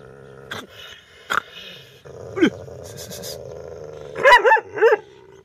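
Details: Dog angrily barking at a stranger: scattered short sharp sounds, then a loud closing double bark, with a constant humming background throughout.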